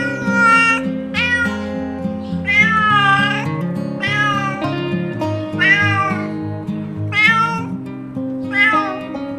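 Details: Cat giving a series of about seven loud, wavering meows spaced roughly a second apart, each bending up then down in pitch, with a guitar-like musical backing throughout.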